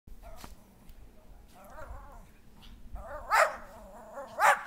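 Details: Schipperkes playing in backyard snow on January 7, 2010, give a few short harmonic barks and yips, two louder sharp barks near the end, with a woman's voice urging them to play.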